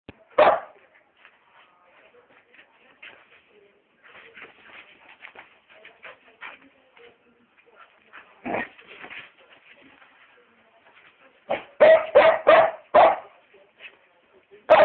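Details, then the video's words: White dog barking: a single sharp bark, scattered quieter yelps and whines, another bark mid-way, then a rapid run of four loud barks near the end and a final bark. "white dog barking"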